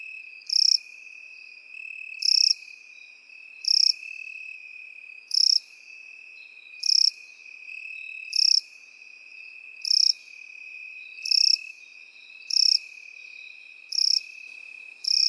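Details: Field crickets in meadow grass chirp steadily: eleven sharp, high, rasping bursts about every 1.5 seconds, layered over an unbroken, even insect whine.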